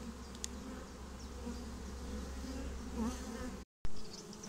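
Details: Honeybee swarm getting a new home: a low steady hum over a heavy deep rumble, a faint bird chirp, and a short break in the sound near the end.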